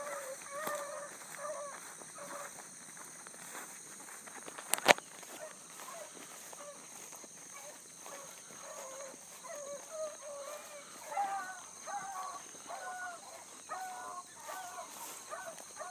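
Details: Bluetick Coonhounds trailing a big running rabbit at dawn, July 2012, a young pup among them. Distant bays repeat in short bursts throughout, with one sharp crack partway in and a persistent high-pitched insect chorus behind.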